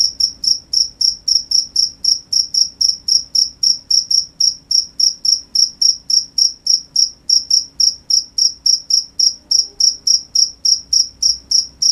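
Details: Crickets at night producing a fast, very regular train of bright, high chirps, about three and a half per second, continuous throughout, with only a faint low hum beneath.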